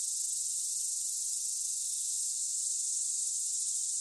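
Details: Cicadas singing: a dense, unbroken high-pitched hiss-like drone, steady in loudness throughout, with nothing else heard.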